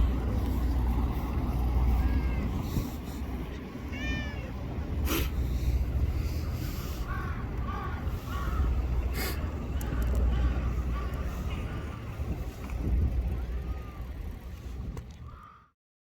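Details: Stray cats at a park or port in Japan, a small black-and-brown tortoiseshell and a young black cat trotting over. A few short, arched meows, with a clearer rising one near the middle, over a steady low rumble of traffic and engines.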